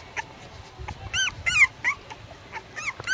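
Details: Red male Pembroke Welsh Corgi puppy at a kennel, recorded 10 September 2014: high, squeaky yelping whines, several bent upward then down, repeated in quick bursts, with a woman's voice earlier.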